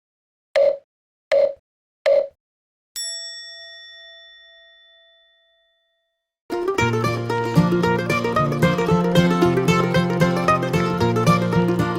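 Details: Three short ding tones and a long ringing chime fade out before a stretch of bright plucked-string music.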